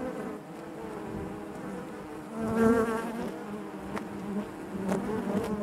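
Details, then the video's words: Hive interior full of honey bees, their continuous buzzing layered in harmonics, one bee flying near the middle with a louder, higher whine before the steady hum resumes, plus occasional light taps. "bees therapy hive natural buzzing sound"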